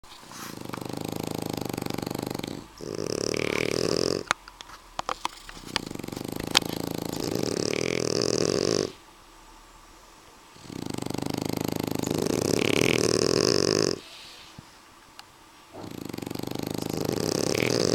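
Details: Snoring of French Bulldogs named Suna and Annibal, loud rasping breaths about two seconds long alternating with quieter pauses, with a few sharp clicks in between.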